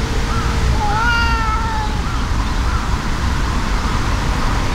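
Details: Angry brown tabby-and-white cat squaring off against a brown tabby cat. A rising, harmonic-rich yowl swells and then slides down to a sustained moan. Softer, wavering cries trail after it against continuous low noise.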